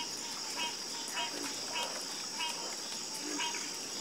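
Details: Chorus of frogs croaking, short harmonic croaks repeating roughly every half second in a steady, slightly uneven rhythm, over a constant high-pitched hiss of insects.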